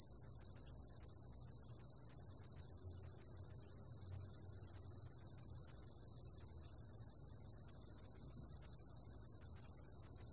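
A sword-tail cricket gives a continuous, high, shrill trill that holds steady without pause, with faint low background rumble.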